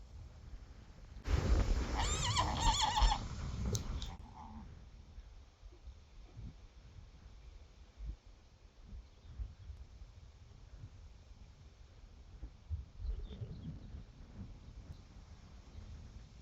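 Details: Friesian mares and foals in the pasture: one loud, rough whinny lasting about three seconds, followed by quiet with faint rustling and soft thuds, and a person saying hello afterwards.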